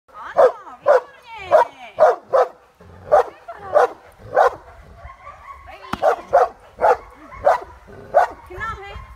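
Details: A 1-year-old working Cane Corso in defence training barks deeply and forcefully in a steady series, roughly two barks per second.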